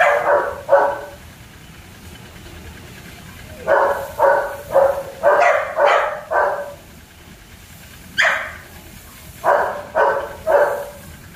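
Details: German Shepherd pups at Zondiram Kennel bark in short bursts, mostly in pairs and triplets separated by brief pauses, with a faint background hum.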